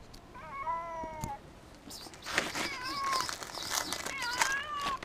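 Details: A pet cat, afraid and hungry and wanting food and reassuring touches, gives short descending meows, one early and a louder pair later, over rustling and thumping handling noises indoors.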